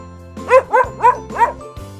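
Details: An Akita, a breed that arose in northern Japan, gives four quick, arching barks in a row over steady background music.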